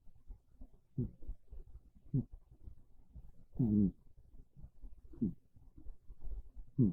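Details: Domestic cat Monta dozing on a bed indoors on a chilly rainy afternoon, giving modest snores: short low rasping breaths at uneven intervals, one longer and louder near the middle, against a hushed room.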